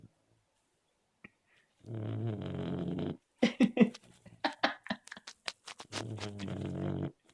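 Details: Labrador Retriever snoring in its sleep: two long, steady, buzzy low snores about four seconds apart, with a run of quick crackling clicks and snorts in between, indoors.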